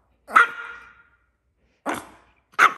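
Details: A tiny dog throwing a big tantrum, giving three sharp high barks, the first drawn into a ringing whine that fades over half a second, the others short and clipped, in a quiet room.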